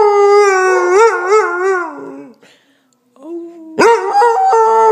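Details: Linus, a Basset Hound, howls and talks indoors: long wavering tonal howls with quick pitch wobbles, fading into a short pause, then a sharp rising yelp into a renewed bawling howl.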